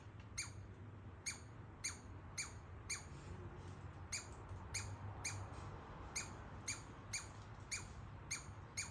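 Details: A baby squirrel living in a backyard walnut tree gives sharp, high, zapping squeaks, repeated about twice a second like tiny laser blasts.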